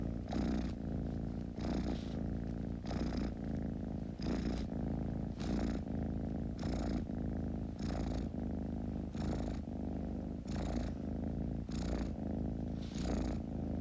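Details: Steady kitten purr, a deep continuous rumble rising and falling with breathing, about eleven breath cycles, each inhale adding a brief airy hiss.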